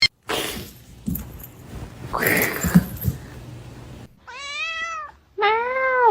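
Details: Kitten crying, giving two drawn-out meows near the end, the first rising then falling, the second lower and steadier, after a stretch of rustling and handling noise.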